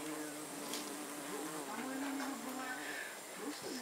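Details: Bee visiting snapdragons, giving a steady low buzz whose pitch wavers slightly up and down throughout, with faint background noise.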